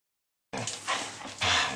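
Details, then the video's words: Schnauzer bitch, 11 months old, a pet that regularly 'talks' to her family, with favourite sayings 'herrooo' and 'yom yom yom'. Half a second of silence, then two breathy, noisy vocal bursts, the second louder and drawn out. "dilly the talking schnauzer"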